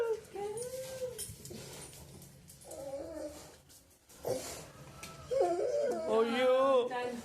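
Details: A male Labrador Retriever makes drawn-out, wavering whines that rise and fall, directed at his sister, with people talking in between.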